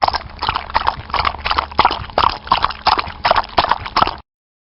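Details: Horse hoofbeats sounding in an uneven walking rhythm, loud and close, with clustered clops roughly every half second before stopping abruptly.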